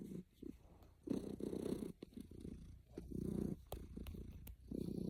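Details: A content domestic cat purring while snuggling, low rumbling purr in long pulses with short pauses between breaths, roughly one cycle every second or two, with faint clicks and rustles.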